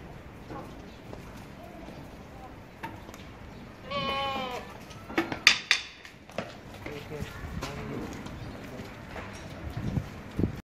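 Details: Pure-breed Boer goat on a goat farm, a bleat with stacked wavering harmonics lasting about a second near the middle, followed by a shorter cry, with human speech and farm noise around it.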